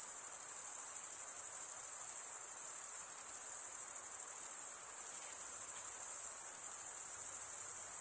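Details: Crickets trill nonstop in a thick, high-pitched chorus with faint wavering in loudness. The rapid chirps blur into one shimmering tone, and no birds, people or music are heard.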